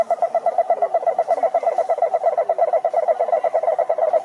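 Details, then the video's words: Toads croak in a quick, regular stream of throaty mid-pitched pulses with a bright overtone, and softer, lower calls murmur underneath the main chorus. "Som do Sapo Coaxando"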